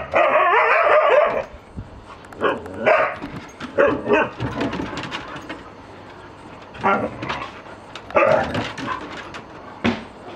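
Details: A young male Siberian Husky, just reunited with his mother, father and brother, gives a drawn-out, wavering woo, then short excited yelping bursts, with people talking nearby.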